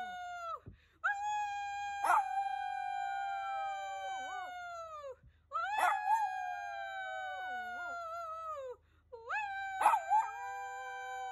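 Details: Shih Tzu dog giving three long howls separated by short breaths, each starting with a sharp burst, holding a steady tone that slowly sinks, with wavering dips and a faint low hum beneath.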